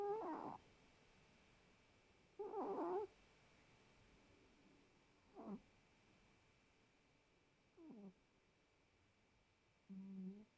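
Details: Domestic cat snoring soundly indoors: five short, nasal, harmonic snores spaced two to three seconds apart, each a brief rough burst, with near silence in between.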